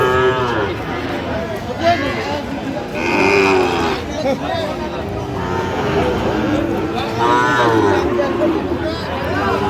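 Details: Moos rise from a busy Chittagong cattle market where Sahiwal bull calves are sold, 31 October 2025. Repeated low, tonal lowing, some moos overlapping, mixed with constant market crowd noise and nearby speech.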